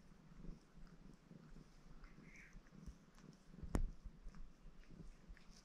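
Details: Baron, a red Maine Coon cat, purrs contentedly while washing itself indoors; a low, steady rhythmic rumble with soft licking noises, a single sharp click near the end and a brief faint higher squeak earlier.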